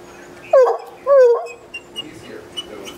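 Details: Fred, a Redbone Coonhound urged on by people, gives two short howling barks that drop in pitch, then quieter faint sounds and a low steady hum.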